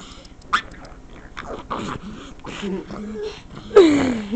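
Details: Pet pug named Roxy, a female, indoors, making odd noises in reaction to someone scratching the couch: soft grunting and snorting, short tonal whines, then a loud falling squeal-like whine near the end, with a person's voice greeting her.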